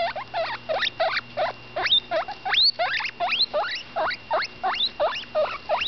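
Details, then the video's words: While eating, Butterscotch, a baby female guinea pig of about 10 days, utters loud whistled squeaks that slide steeply upward, roughly one or two each second, a few reaching especially high, over a faint mains-like hum. "My baby cavy butterscotch making noise"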